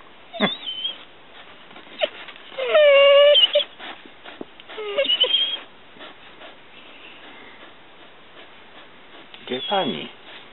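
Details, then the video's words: Mastiff named Maly gives drawn-out, wavering whining howls, one held steady for nearly a second, among short yelps, while a woman speaks Polish to him. "Mastiff "Maly""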